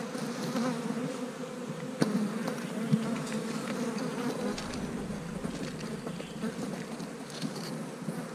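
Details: Honey bees at work on a 65 degree day, giving a constant low droning hum with a few sharp clicks around the two and three second marks and a slight swell toward the end.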